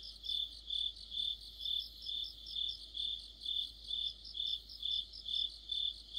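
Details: Autumn insect chorus led by crickets: steady high chirps pulsing about twice per second, with fainter overlapping trills from other insects above, under a quiet low hum.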